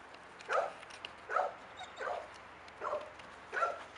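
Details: Eight-month-old Labrador Retriever named Blacka during its first fetch-retrieving lessons; five short, bright mid-pitched barks with layered tones, spaced about 0.8 seconds apart, over a faint background hiss.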